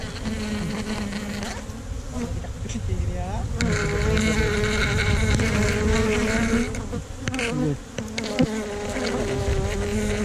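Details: Honey bees swarming around a hive in a tree-trunk hole during a honey harvest, a dense continuous hum with layered wavering tones, rising and swelling midway, alongside scattered knocks and handling noise.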